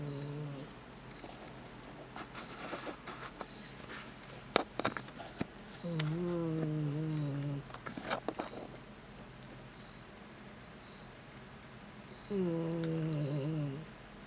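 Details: Sam, a pet dog, snoring at midnight in a bedroom, heard as a low droning hum: two sustained, slightly falling tonal groans lasting about one and a half seconds each, separated by faint rustles and clicks, with a steady high electronic beep pulsing in the background.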